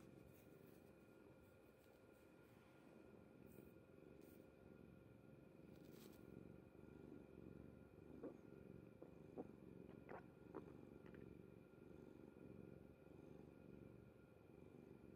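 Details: Kuri-chan, a pet cat, sleeping soundly on mother's bed; a soft, steady low rumbling purr runs throughout, with a few faint clicks near the middle and steady electrical hum lines behind it.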